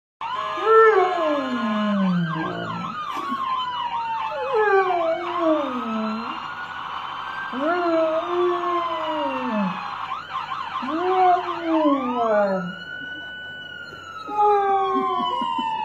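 A German Shepherd howls in long, wavering, arching notes while a siren wails behind it.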